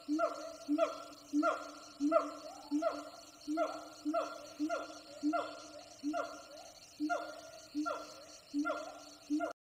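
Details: Distant wild siamang gibbons calling from jungle forest, several troops active; repeated loud, human-sounding whooping barks about every two-thirds of a second, each note dipping in pitch, forming a long energetic chorus.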